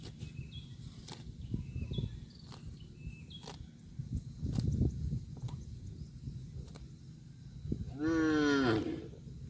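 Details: A cow feeds on grass on a football field. Repeated low tearing and chewing bites are followed near the end by one short, rising, harmonic moo. Light outdoor background throughout.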